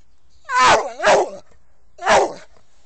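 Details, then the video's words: Sam, an American Staffordshire Terrier, barks three times: two close, slightly whining barks with a falling tone, a pause of about a second, then a third similar bark; no other sounds. "American staffordshire terrier - SAM"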